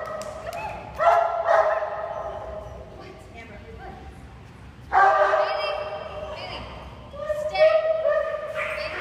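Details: Bailey, a Great Dane puppy training with a board-and-train programme, lets out three loud clusters of sharp, ringing yelps and barks separated by quieter gaps, with a person speaking in the background.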